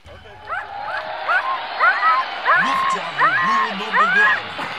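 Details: Siberian Huskies mushing on a horse track at a large farm, pulling a track quad for exercise and fun; high, rising whining yips come in quick bursts about every half second over a steady broadband rumble, with a low voice underneath.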